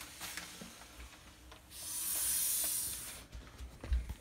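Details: Female blood python hissing while being handled: a single breathy, airy hiss lasting about a second and a half midway, with soft low thumps of handling before and after.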